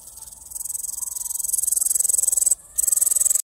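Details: A very large great green bush-cricket found in the grass stridulates, a shrill, high buzzing made of rapid pulses with one brief pause.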